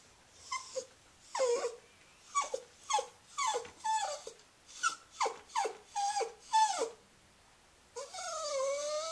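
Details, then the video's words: Scruffy, a female Cairn Terrier bought as a pup from a local pet store, whines in a string of about a dozen short, high, downward-sliding cries in quick bursts, ending with a longer wavering whine after a brief pause. "Aunt Duddie Has A Whiney Little Dog"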